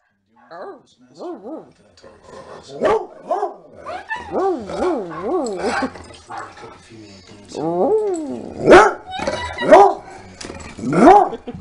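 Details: A big Coonhound and a Chihuahua in a singing, howling exchange at home, while a third dog, an Italian Greyhound and Rat Terrier mix, stays out of it. Wavering, yodel-like howls rise and fall repeatedly, mixed with yips, human laughter and background music.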